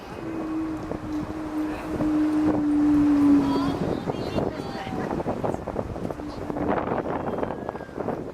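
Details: A male walrus in an aquarium show in Quebec gives a steady, low, horn-like whale-like tone over talking. Air resonates in his inflated pharyngeal throat sac; the call carries far in water and serves to attract females.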